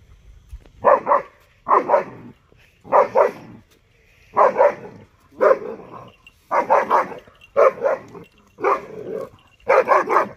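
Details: Dollar, a 6.5-month-old German Shepherd puppy, barks at buffaloes he dislikes. His loud barks come mostly in doubled bursts, about eight bouts across ten seconds, with uneven pauses between them.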